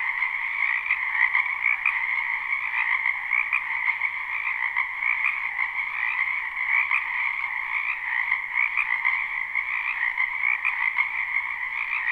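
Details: A spring chorus of many frogs croaking in a wetland behind a house, recorded live at night; dense, continuous trilling in two steady bands, one mid-pitched and one higher, with no pauses and no other sounds.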